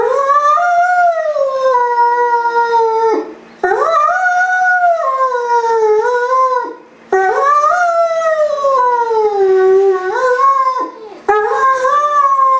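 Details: A lonely Great Dane left by its owner howls in a house: four long wavering howls, each rising sharply then sagging, about three seconds apiece with quick pauses between, a quiet electrical hum beneath.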